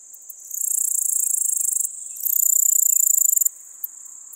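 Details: Pholidoptera littoralis male song recorded in Seewiesen, Germany, on 11 July 2023. Shrill, very high buzzing pulses build from a faint start into two loud, rapidly ticking trains of about one and a half seconds each, then stop abruptly.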